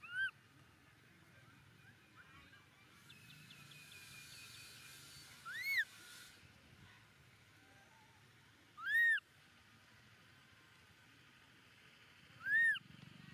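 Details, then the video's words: Baby monkey Momo crying loudly on the rocks after his father leaves him: four high, arched wailing cries rising then falling, each loud and brief, spaced roughly three seconds apart, with a faint thin chatter in the background. "Baby Momo cries loudly on the rocks - when Dad leaves him pitifully"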